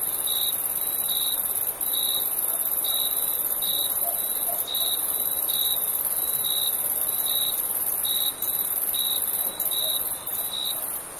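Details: Crickets at night in summer: crisp, high chirps spaced under a second apart at a steady pace, over a constant shrill insect hiss and a faint low murmur.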